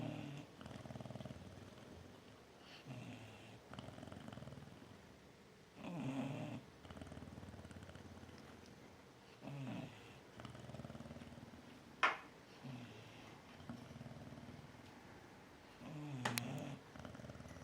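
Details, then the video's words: Chow Chow snoring in its sleep, with Gladys the Newfoundland dozing nearby. Soft, low, drawn-out rasping breaths come at uneven intervals, with a couple of sharp faint clicks in the background. "Chow Chow snoring"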